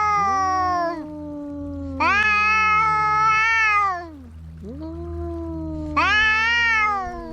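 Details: Cats in a fight trade drawn-out harmonic yowls in about three loud bursts, each swelling and then sagging in pitch, over a steady low hum.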